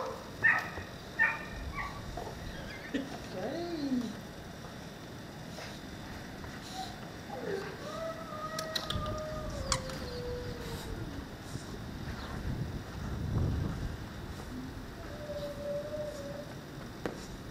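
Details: Female Cane Corso puppy Calia, 16 weeks old, makes drawn-out whines that slide downward in pitch, plus short squeaky yelps early on and a later steady thin whine, with faint background noise.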